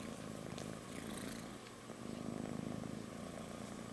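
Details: Sleeping kitten on its mother's belly purring, a rapid pulsing low rumble that swells louder after two seconds, with light rustling noises.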